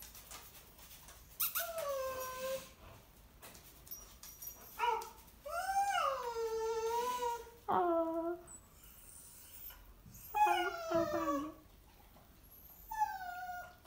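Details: A Cavalier King Charles Spaniel keeps "talking" indoors, letting out separate bursts of bending, sliding whimpers and whines, each a second or two long, against quiet room noise.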